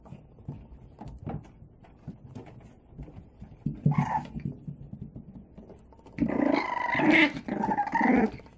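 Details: Male and female Boston Terrier puppies playing indoors: soft, low grumbling growls and scuffles through the first half, a short whine near four seconds, then a louder stretch of harsh, harmonic growling and yelps from six seconds on.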